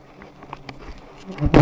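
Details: Low humming drone of giant honey bees during the harvest of high nests, with scattered soft taps, ending in a sudden loud burst of rustling noise.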